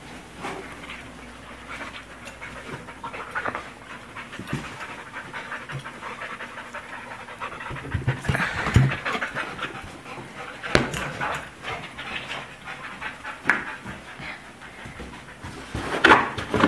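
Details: Siberian husky and American bulldog at play with a balloon before popping it; rough, continuous panting with scattered knocks and scuffles, growing louder toward the end.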